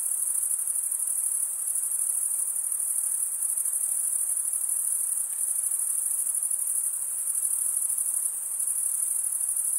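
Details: Steady cricket stridulation fills the air: a constant, thin, very high buzzing trill with rapid regular pulses, barely dipping in volume, over a faint low hiss.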